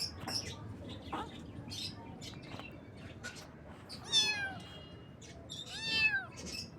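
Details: Cute baby kittens on their first morning: two clear, high meows about two seconds apart, each arching then falling in pitch, between scattered clicks, taps and brief chirpy noises.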